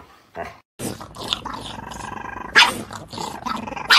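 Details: Dog playfully fighting with its owner, giving rough snarling growls in short noisy bursts, with a steadier buzzing tone held for about two seconds midway and sharp louder snaps near the end.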